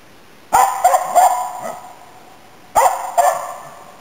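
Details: Autumn 2010 hunting session in Inari with Nella, a Finnish Spitz barking at waterfowl and game birds; rapid clusters of three yelping barks, a two-second pause, then a further double bark.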